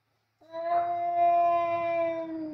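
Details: Two male cats facing off in a kitchen after coming for food, fighting loudly; one long, steady, harmonic wailing howl held for about two seconds with slight wavering.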